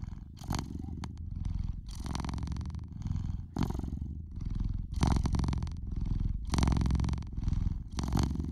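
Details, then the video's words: Noisy purring from a pet cat, a rumbling low drone pulsing in breath cycles roughly every one to two seconds, with louder bursts on alternate breaths. "Cat's Purr"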